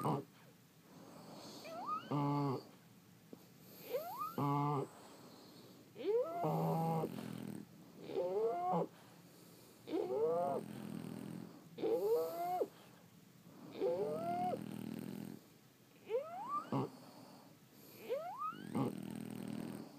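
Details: A run of snoring breaths from several sleeping French Bulldogs, each breath about every two seconds with a squeaky whistle sliding upward above a soft, rattly snort.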